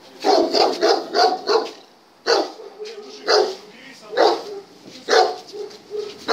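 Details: German Shepherd barking during test number 39: a quick run of four or five sharp barks, a pause, then single barks spaced about a second apart, with people's voices in between.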